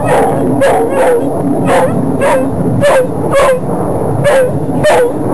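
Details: Dog giving a run of thin, squeaky whines, roughly two each second and unevenly spaced, each with a soft breathy puff, against constant low hiss and rumble.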